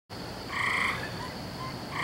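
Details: Frogs calling on a May night, recorded 17 May 2012, a sound heard every night at this time of year: two bright, harmonic croaking notes, a longer one then a short one at the end, over a steady hiss.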